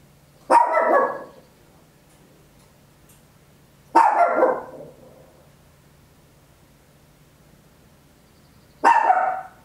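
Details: Three single loud barks from a small Papillon dog indoors, each a short harsh burst spaced several seconds apart, with a low steady hum in the background; captured at home with an Olympus LS-11 stereo recorder.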